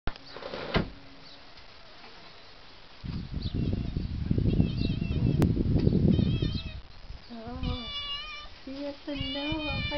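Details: Virtually homeless cat being fed daily, giving a run of short, tonal, slightly wavering meows in the last few seconds, after a long burst of loud rustling noise and a person speaking at the start.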